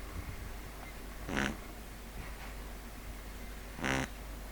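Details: Pug Neal asleep, producing two short, buzzy rasping snores about two and a half seconds apart over a low steady hum.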